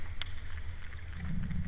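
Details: A blue whale recorded in the Atlantic gives a deep, steady moan, a low droning hum with a faint rising tone near the end. Blue whale calls fall between 10 and 40 Hz, partly below human hearing.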